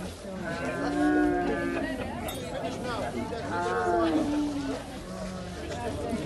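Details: Camel on a tourist ride in Luxor, Egypt, as its rider clumsily dismounts. Deep, drawn-out groaning calls, one near the start and another midway, rise and fall over steady crowd chatter and outdoor noise.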